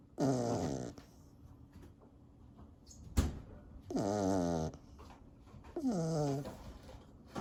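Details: Sleeping corgi snoring in a quiet indoor setting. Three drawn-out, throaty snores with a falling, rasping tone come roughly every two and a half seconds, with a single sharp click between the first and second.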